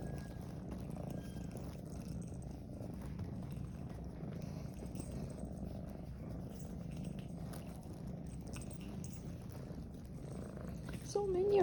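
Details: Several shelter cats indoors greet a returning caregiver: a steady, low rumbling purr runs throughout, with a short rising-and-falling meow near the end and a woman's voice faintly nearby.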